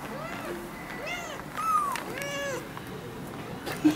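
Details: Four ginger kittens, one month old, meowing beside their young mother cat, a rescued stray, in a house: a run of five overlapping plaintive mews, some higher and some lower, then a soft click.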